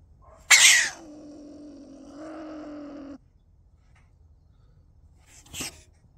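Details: A stone marten (Martes foina) in Hungary, recorded at very close range, gives an explosive hiss that drops into a steady, low, droning growl, a rarely heard vocalisation.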